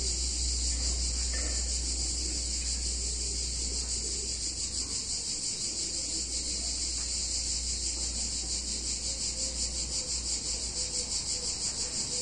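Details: Cicadas on a hot summer day in an Italian town fill the air with a high, steady, shimmering buzz that pulses rapidly without pause.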